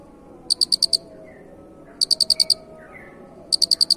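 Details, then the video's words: Cricket voice billed as unusual, chirping in crisp bursts of five very high, evenly spaced pulses, one burst about every one and a half seconds, three bursts in all over a faint low background hum. "Masteran suara Jangkrik Unik"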